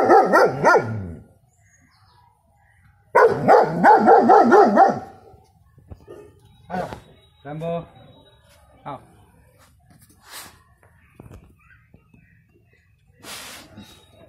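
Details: Young male German Shepherd, six months old, giving deep protective barks at home: a short run of barks, a gap, then a longer loud volley of rough repeated barks, followed by quieter household noises and faint voices.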